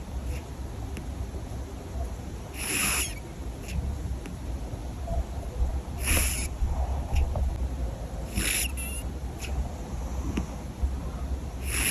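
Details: Sleeping cat snoring loudly: short hissing, rasping breaths recur roughly every two to three seconds over a steady low hum of background noise.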